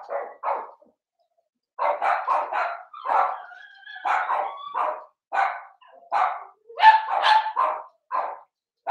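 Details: Blenheim Cavalier King Charles Spaniel puppies, seven weeks old, in a home puppy pen: a litter of five sends out bursts of high, yappy barks in irregular clusters, with brief whiny squeals between them.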